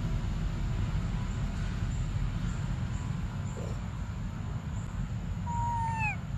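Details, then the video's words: A single clear whining cry from baby Briar, a monkey desperate for milk, gliding downward at the close; before it only a low droning noise bed and faint high tones. "Desperate Baby Briar Cries For Milk"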